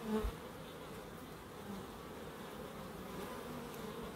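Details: Bees in a small wildlife garden in Crookes, their steady, low droning hum holding level throughout, with faint overtone bands and a brief soft knock at the very start.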